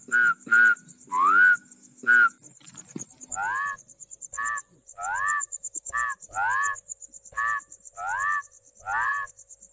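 Rice field frogs give loud, nasal, rising notes, roughly one per second, over a steady high insect trill.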